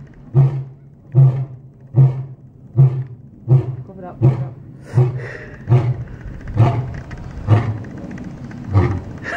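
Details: White lion giving a series of deep, low grunting roar pulses, about eleven in nine seconds, the gaps lengthening slightly toward the end; faint voices and higher background sounds in the second half.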